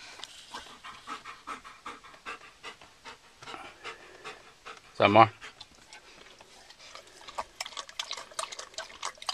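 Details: Black German Shepherd dog panting in fast, rhythmic breathy bursts throughout, with one short, loud, tonal yelp-like sound near the middle; faint voices in the background.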